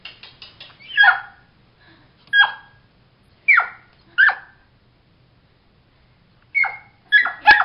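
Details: Harley, a puppy stuck under a bed while its owners slept, barks: sharp, high yaps arriving singly about every second or so, with a quick burst of three at the end and silence between them.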